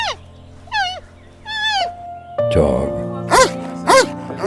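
A giant panda gives several bleating, slightly wavering calls, some falling in pitch and later ones rising and falling. Steady music plays underneath throughout.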